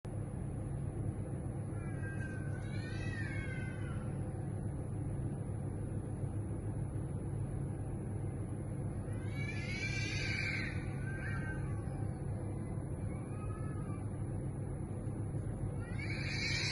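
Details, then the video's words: Community stray cats in heat yowling in a residential neighborhood at 2am: long, wavering, drawn-out cries near the start, middle and end, rising and falling in pitch, over a constant low rumble of night traffic. "community strays in our neighborhood making loud noises at 2am because they are in heat"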